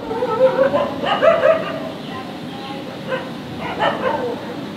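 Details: German shepherd barking loudly in the street: short, sharp, yelping barks in two quick bursts, a pause, then another burst, over a steady street hum.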